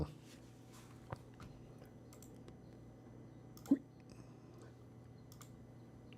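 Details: A quiet indoor room with a steady low hum, soft scattered clicks and two sharper taps, and no animal voice.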